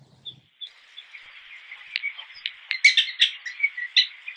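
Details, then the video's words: Prairie dogs in a colony on a wheat farm give shrill, high chirping barks as alarm calls against raptors such as northern harriers, with several callers overlapping in quick, uneven bursts. "Prairie dog alarm calls give an extra layer of protection against raptors."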